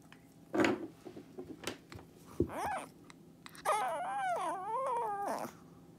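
A Shih Tzu 'talks' in wavering, rising and falling whines and yowls with a few short grunts.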